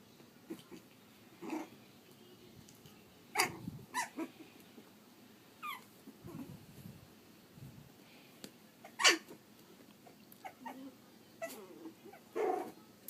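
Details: Pug/Dachshund mix puppies, three and a half weeks old, giving soft, scattered whimpers and small grunts at irregular intervals, with a few sharp rustling or clicking bursts between them in a quiet setting.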